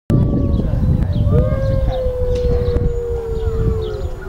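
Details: Grey wolf howling: one long, steady, slightly falling tone held for nearly three seconds after a short rising onset, with fainter higher overtones and a low rumbling background.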